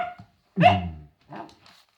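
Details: A single short, throaty bark from William, a Cavalier King Charles Spaniel described as a scaredy dog barking at silliness, followed by a brief softer vocal trailing after.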